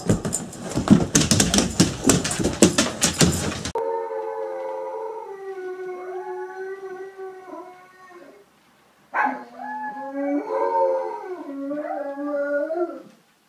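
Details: Great Dane howling in deep, sustained, harmonic-rich tones that waver and step in pitch. A loud, noisy clatter comes first, and a second howling bout starts after a short silence.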